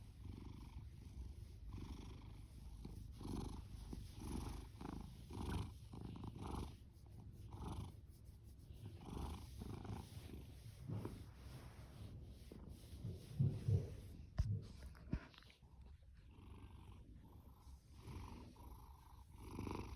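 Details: Low, steady purr of a male orange tabby named Fasu, a shelter cat born October 2019; soft rhythmic rumbling in even breath cycles, thinning toward the end with a few faint rustles and clicks.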